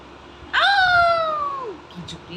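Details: Kitten meowing: one loud, drawn-out meow lasting over a second, holding steady, then sliding downward at the end, with rich harmonics. Faint room noise before and a soft click after.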